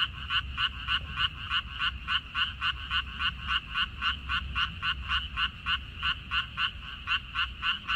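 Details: One frog's croaks stand out from a minari field recorded 14 May 2021. Crisp, evenly spaced pulses come about three to four per second, very regular, over a low background rumble.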